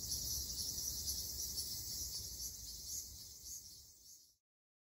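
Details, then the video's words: Ryukyu large brown cicadas in Okinawa's summer forest: a strong, high-pitched whirring buzz that gradually fades over about four seconds before cutting to silence. "リュウキュウアブラゼミ Graptopsaltria bimaculata 蝉の鳴き声"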